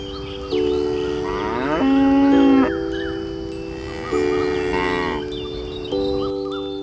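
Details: Cow giving two drawn-out, nasal moos, the first rising then holding, the second shorter, layered over continuous chime-like musical notes.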